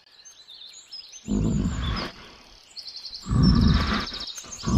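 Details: Bear. Two deep, throaty growls from a bear rumble out about two seconds apart, the second longer and rougher than the first. Thin, high birdsong twitters faintly in the background between them.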